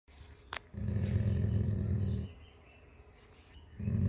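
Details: Jacky, a pet dog, growls low and rumbling while guarding his bone as someone tries to take it; one sustained growl of about one and a half seconds, then a fresh growl starting near the end, with a faint click before.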